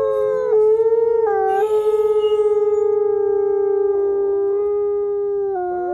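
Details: Captive-born gray wolves at a wolf conservation center in South Salem, New York, howling in chorus, led by a quiet male who lost his voice: long steady overlapping tones, one voice holding level while others shift pitch.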